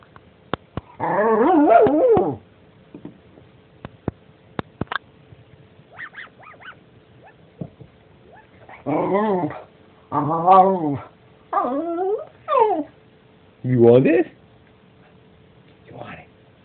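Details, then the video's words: A dog gives a drawn-out, wavering whine-like bark lasting about a second and a half, then after a quiet stretch of faint clicks, a run of four or five shorter, warbling, rising-and-falling yelps spaced about a second apart. "Dog Barking"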